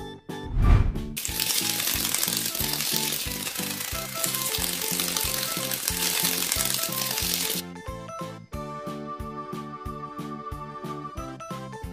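Rhythmic music plays throughout, with a loud sizzling, hissing wash over the middle section and no animal voice.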